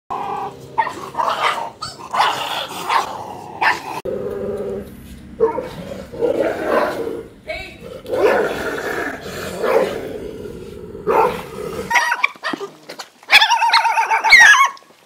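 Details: Several hungry stray dogs fighting over food: harsh snarling growls and short barks come in rough bursts throughout, with a human voice in the background and a high yelping squeal near the end.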